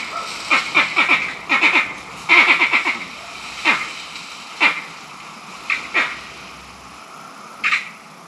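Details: Green monkeys in Barbados calling angrily, possibly fighting over mango trees or rank in their troop: clusters of sharp, rasping barks in quick bouts early on, then single abrupt calls spaced one to two seconds apart, fading to quiet.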